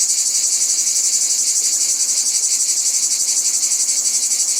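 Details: Cicadas heard outdoors in nature: a continuous, piercing high-pitched drone with a fast, even throb of roughly four pulses per second running through the whole stretch.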